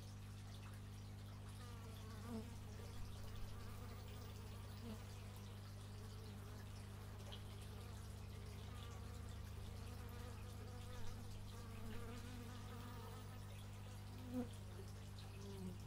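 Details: Bees recorded in stereo with an x/y microphone: a steady low hum underlies shifting, wavering buzzes as individual insects fly past, rising and falling in pitch, with faint soft clicks scattered through.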